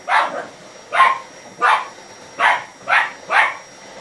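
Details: A Lhasa Apso that dislikes the vacuum cleaner gives a run of sharp, high barks, about one every two-thirds of a second.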